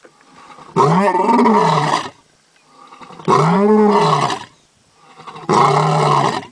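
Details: A lion gives three loud, deep roars, each arching in pitch and lasting over a second.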